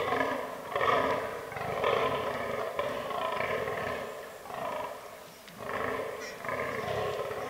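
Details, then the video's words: Fallow deer (Dama dama) in the autumn rutting season in a forest, a herd including albino and melanistic bucks; deep, harsh belching groans repeat roughly once a second, each a short throaty burst with brief pauses between. "Fallow Deer Rut 2022"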